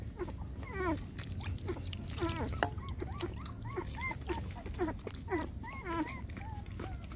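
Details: Six puppies nursing from their mother GiGi, a pet dog, give a steady run of high, squeaky whimpers and arched squeals, overlapping and repeated several times a second, with a low hum underneath.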